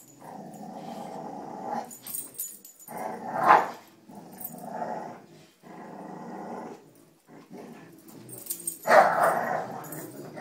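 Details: Domestic dogs Cujo, Kali and Lilly playing tug with a rope indoors; rough, throaty growls come in long bursts of one to two seconds with short gaps, a louder snarling peak near the middle and another near the end.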